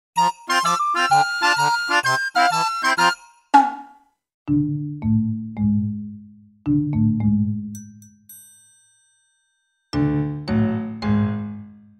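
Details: Bright mallet-percussion melody of quick chiming notes gives way to slower, low sustained tones with pauses, and no animal voice is heard.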